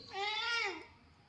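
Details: A pet cat gives a single drawn-out meow of under a second, rich in harmonics, its pitch rising slightly then sliding down at the end, with a quiet background.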